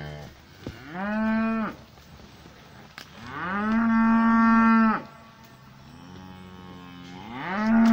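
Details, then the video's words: Cows in a pasture calling; three long harmonic moos, each rising at onset then held steady, the middle one loudest and longest, separated by short quiet gaps. "Cows mooing in the pasture."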